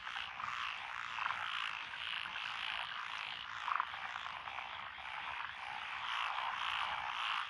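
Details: Dense frog chorus from lotus rice paddies beside a country road in Echizen, Fukui, Japan, 12 June 2021, with Japanese tree frogs, black-spotted pond frogs, wrinkled frogs, Schlegel's and forest green tree frogs: continuous overlapping croaking and trilling.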